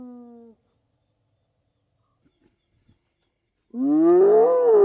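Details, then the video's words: Spotted hyena whoop in the African bush, a call for keeping in touch with clan members over long distances: a short harmonic tail ends, silence follows, then a new low whoop begins, rising and wavering near the close. "The sounds of hyenas"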